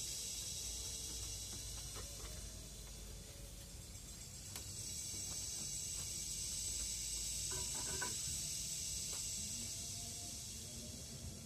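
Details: Forest chorus of Philippine cicada (kuliglig): an unbroken high, hissing whine rising and falling gently in strength, with occasional knocks and short tonal noises in the background.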